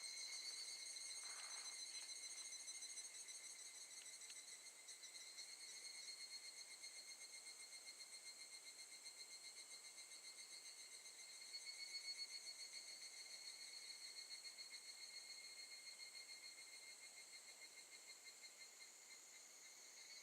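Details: Evening cicadas singing at Gakujin no Mori campground in Tokushima, Japan, in August 2018. Steady, ringing tones with rapid pulsing run through the whole stretch and swell slightly midway, suggesting several insects overlapping.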